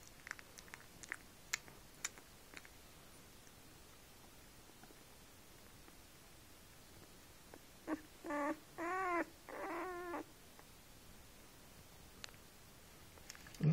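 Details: German Shepherd puppies, four days old and nursing from their mother, a litter with at least four males: soft scattered suckling clicks and smacks, then three or four short, wavering, high whines rising and falling in pitch, then quiet.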